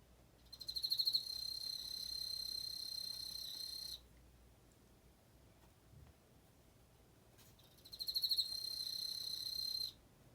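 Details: An Emma field cricket sings two bright, high trills, each opening with a few quick pulsed chirps and then holding a smooth ringing tone for about three seconds, with a silent gap of several seconds between them.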